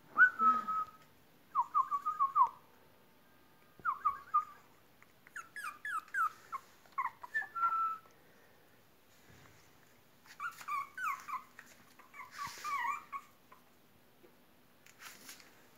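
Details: Long-haired toy Chihuahua puppies whimper in high, thin, wavering whines that come in short bursts.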